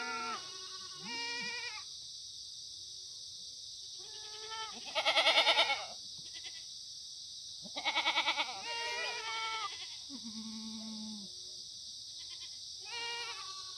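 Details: Free-range Korean black goats on a farm in the Muchuksan foothills, Sangdong-myeon, Gimhae, South Gyeongsang, on a sunny Monday morning, 9 September 2019. Several goats give wavering, quavering bleats, some loud and tremulous, others low and flat, over a constant high hiss.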